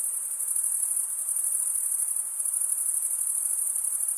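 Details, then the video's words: Chirping of male crickets made by stridulation, wing scraped against a comb-like serrated vein; a continuous high-pitched pulsing trill, even and steady, over a soft background hiss. "Most relaxing cricket sound for 8 hours"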